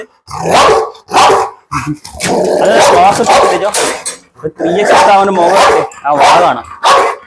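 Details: Pit bull, a pet dog said by its keeper to be ready to bite and tear, in a dog challenge: loud harsh barks in quick bursts separated by short silences, with a man's voice mixed in between them.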